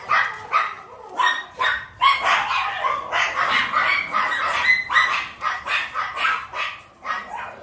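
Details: Miniature Pinscher puppy just starting to eat, An Giang, Vietnam: excited high yelps and whiny barks run together in a near-continuous stream, some notes drawn out and whistling.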